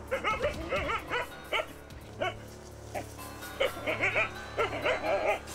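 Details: Jindo village dog confronting a nutria hiding in a greenhouse on its owner's field: bursts of sharp, high yapping barks in quick runs of three to five, pausing briefly between bursts, over soft background music.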